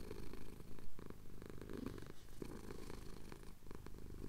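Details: Male cat purring while getting a chin scratch at dawn in the Cotswolds, Tascam DR-07X recording; a short stretch of grainy, pulsing low rumble with uneven breathing swells.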